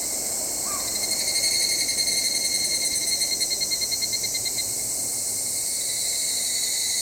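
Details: Evening cicada (Tanna japonensis) shrilling in a high, pulsing band that swells, then throbs in rapid repeated beats for several seconds before settling into a steady ring. A brief chirp sounds near the start.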